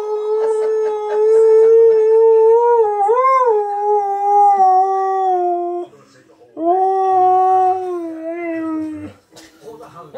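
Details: A very talkative Siberian husky 'talks' and 'sings' to meerkats in the morning in long, wavering, tuneful howls, rising and dipping in pitch.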